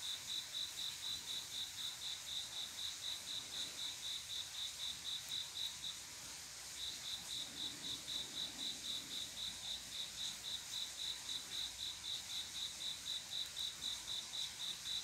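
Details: Male cricket singing to attract a mate at night, regular rapid chirps roughly four each second, pausing for under a second midway before resuming the same even rhythm; soft background hiss.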